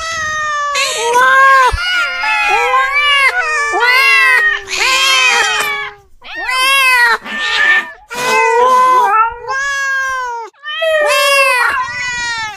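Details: Domestic cats meowing loudly and insistently: a rapid string of long, wailing, harmonic-rich meows, some rising then falling, several overlapping, with short gaps between bursts.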